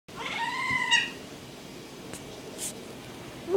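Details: Rescued male kitten wearing a diaper, described as a very loud, whiny cat: one drawn-out, slightly rising then falling meow lasting under a second, followed by quiet room noise with a few faint clicks.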